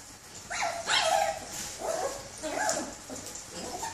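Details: Disappointed puppy whining after a planned walk is called off: a series of high, thin whimpers and yips, each sliding downward, repeated about every half second, after a person speaking Cantonese tells it there is no going out today.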